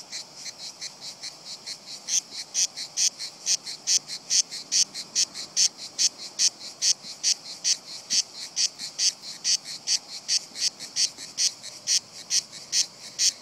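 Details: A group of cicadas on a tree trunk continues its song despite a person nearby, some descending curiously; dense buzzing pulses, high and grating, repeat quickly and grow louder after the first two seconds.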